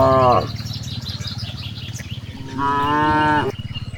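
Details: Grazing cows in a wide rice field: a moo cut off at the start, then after a pause another full, flat moo lasting about a second, with a low rumble and faint birds behind.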